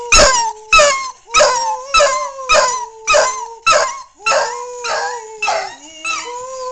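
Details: Bronson the dog sings along with D-Xristo (2008): a series of short, tonal howls, each starting with a crisp percussive strike. Notes repeat about every 0.6 seconds, and one dips lower near the end.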